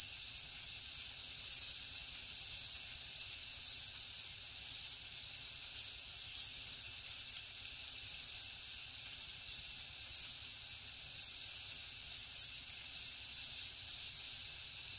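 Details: Jungle crickets at night give a steady, high-pitched chirping, evenly repeated pulses about three per second, backed by a soft hiss of further insects.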